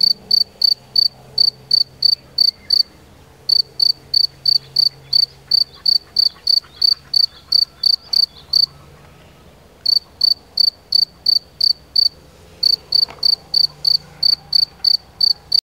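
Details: A field cricket gives its loud, shrill chirping song, with trilled pulses repeated about three times a second in quick, even runs and brief pauses between bursts, over a faint low hum.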